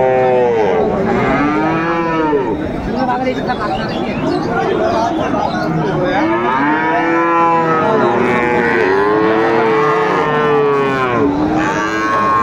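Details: Young Friesian and crossbred bull calves, about three to four months old, at Raniganj cattle market, Dinajpur, on 2 May 2024, lowing in overlapping, arching moos almost continuously, several animals calling together amid crowd noise.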